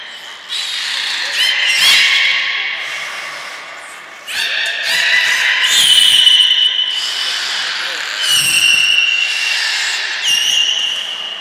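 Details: A training session for belugas Hodoi, Taanya and Mirai at Nagoya Port Aquarium, Japan, 1 November 2020. About four bursts of bright, harmonic squealing arrive a few seconds apart, each with sliding whistles and a reverberant fade.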